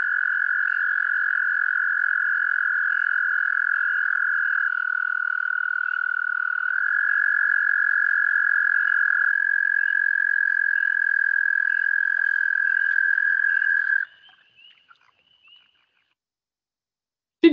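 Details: Foreground American toad holding a long, level, buzzing trill for about fourteen seconds, pitch stepping slightly a few times, with faint spring peepers in the background, then near silence.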